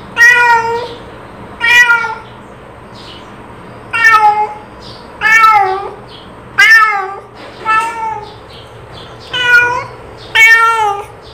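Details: Calling cat producing about eight insistent meows at irregular intervals, each short, harmonic and falling at the end, with softer faint mews in between.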